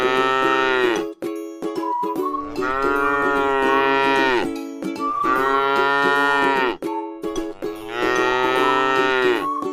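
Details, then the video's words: ['Long harmonic moos, three evenly spaced, from a tame cow feeding on grass in a rice field; each call swells and then slides lower at its close, with a continuous tonal drone beneath.'] "suara sapi lucu jinak yang sedang makan rumput di ladang sawah"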